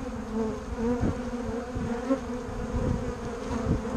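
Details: Steady droning hum of bumble bees and honey bees, low and rich in overtones, rising and falling gently as individual bees drift nearer, with scattered soft taps throughout.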